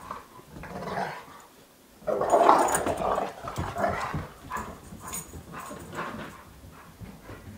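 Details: Sox and Louie, two domestic dogs playfully wrestling and chasing in circles indoors, trade rough snarling growls. A soft start gives way to a loud burst at two seconds, then rapid repeated growls mixed with scuffling thumps.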